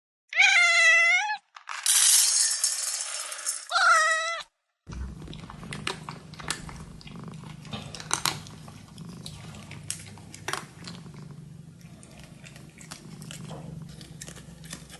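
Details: A Dragon Li kitten purrs while eating. Two loud, drawn-out meows open the recording, followed by a steady low rumbling purr mixed with soft chewing and clicking sounds.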